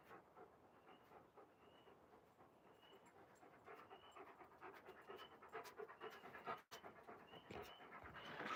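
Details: Alaskan Malamute dog outdoors panting steadily, quick rhythmic breaths about two per second, breathy and soft, with a faint wind-like hiss and a brief handling bump near the end.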